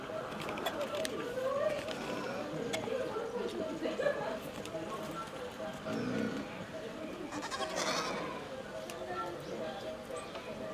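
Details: A two-month-old goat kid at a zoo bleats in wavering, nasal cries over a murmur of background voices.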